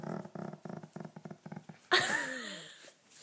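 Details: Slider, a pet dog slow to leave bed in the morning, yawning and stretching indoors: a run of soft rhythmic puffs and snuffles, then a sudden loud squeaky whine that slides downward and trails off into a quieter breath.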